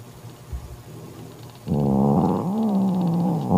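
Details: Mocha, a mother cat banishing her sister Kofi from her kitten, starts a harsh low growl after a brief quiet, the tone wavering and dipping as it continues to the end.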